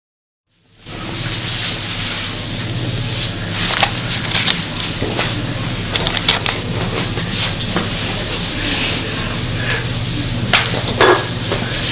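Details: Dense broadband rustling and crackling with faint speech runs throughout, with no animal voice heard.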